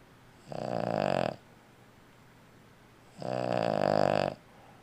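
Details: An old female Boston Terrier snores in two long, rattling, buzzy breaths a couple of seconds apart, the snoring actually louder in life than recorded.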